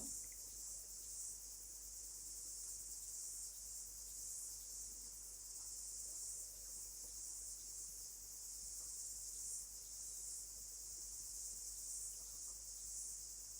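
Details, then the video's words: A cicada sings a steady, high, shimmering buzz without a break, growing louder in New Zealand as summer is ending and the season begins to change. "The cicada is singing louder."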